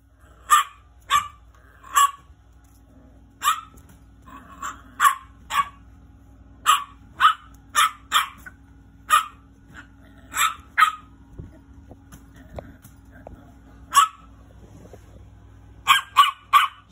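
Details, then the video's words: Small angry dog giving sharp yappy barks, mostly single or paired, spaced one to two seconds apart with brief lulls and a faint background hum. "Angry little dog barking"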